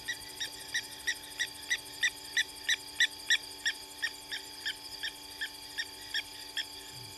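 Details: Frog in the bush at Gowrie dam, Djuma Game Reserve, Sabi Sand Wildtuin, South Africa, at 02:05 at night on 14 April 2020, giving bright, ringing pulsed notes about three per second, steady and even, over a faint constant electrical hum.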